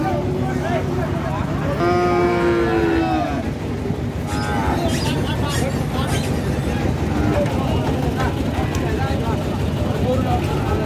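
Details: Cattle being unloaded from a mini truck at Gabtoli; one drawn-out, wavering moo near the start, then fainter lowing, over constant loud engine and traffic rumble and distant voices.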